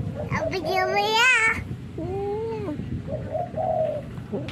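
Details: Orange domestic cat fighting: a loud, wavering yowl that climbs and strains, then a lower drawn-out moaning wail that rises and falls, with softer whining notes after it and a steady low background rumble.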